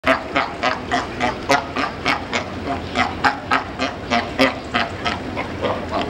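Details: Sea lions at the Frankfurt zoo barking in a rapid, steady series of harsh, hoarse barks, roughly three or four per second, continuing throughout without pause.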